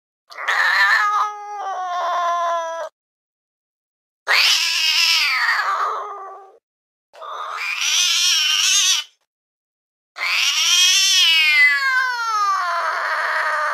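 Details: Fluffy cat perched on a window sill, gazing intently outside with ears perked up, gives four long, drawn-out meows of two to three seconds each. They are rich in harmonics and waver in pitch, separated by short silences.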